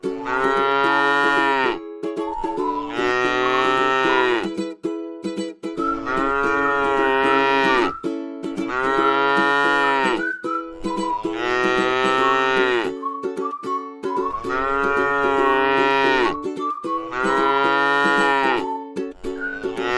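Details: Tame cattle lying at rest in a rice field: a long series of about eight deep, drawn-out moos following one another at a steady pace, backed by quiet plucked-string music.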